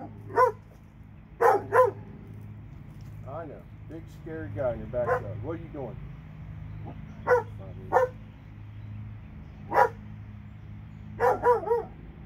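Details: Barking from two dogs in Alabama, short harsh barks in singles and pairs spread through the recording, with human talking in the middle stretch and a low steady hum behind.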